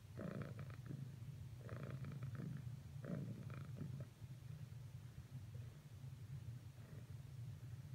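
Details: Cricket the cat purring during failed attempts to cuddle with Whisper; low rumble with three clear breathing pulses early on, then the purr continues more softly and evenly.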